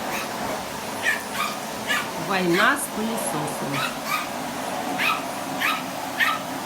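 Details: Spitz barking at a vacuum cleaner it is attacking: high yips spaced about half a second apart, interrupted by a woman's voice speaking, all over a steady vacuum drone.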